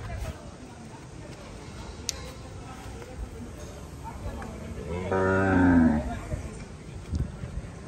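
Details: Cattle at a temporary cattle market held in the days before Eid ul-Adha. A single deep, harmonic moo lasts about a second and rises over background crowd murmur and men talking.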